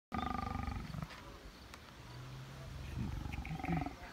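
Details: Lion at Taigan Safari Park, Crimea, on 22 May 2019 in a flowering meadow: a deep, harmonic roar opens the recording, then a low steady drone and softer rumbles follow, with faint outdoor background.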